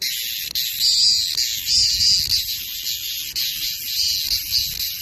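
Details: Screaming cicada: a loud, shrill, continuous buzz fills the clip, pulsing in volume with brief dips every second or so. Faint low rumble underneath.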